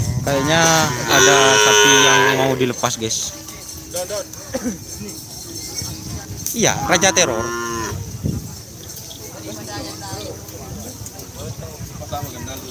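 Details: Cattle at a kerapan sapi bull-racing ground in Asemanis, Pamekasan, Madura, East Java, Indonesia; strong harmonic moos, some rising then falling, among crowd chatter and background noise.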